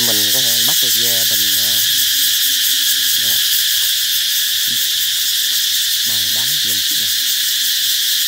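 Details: Cicadas singing loudly to herald the approach of summer: a dense, steady high-pitched buzzing drone fills the whole clip, while a low voice-like sound breaks in during the first two seconds and again near six seconds.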